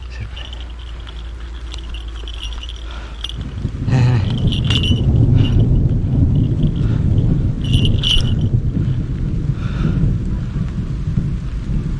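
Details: Low rumbling wind or vehicle noise swells after a few seconds, with faint metallic jingling and no animal calls.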